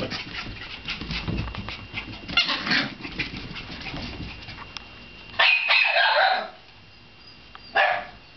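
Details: Shiba Inu mother with two puppies; shuffling and scratching noises fill the first half, followed by a loud, high-pitched yelping squeal lasting about a second and one short sharp yip soon after.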